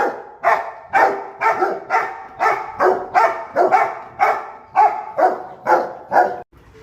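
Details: Pet Rottweiler kept as a guard dog, barking on command as though a visitor has come; a steady run of about thirteen loud, rough barks in under seven seconds, roughly two per second, then silence.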